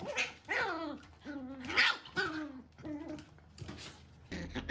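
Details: Standard (not mame) Shiba Inu mother nagging her puppy, which shrugs it off; a run of about six short, wavering, harmonic grumbling barks comes roughly every half second to second, ending in a rougher noisy burst.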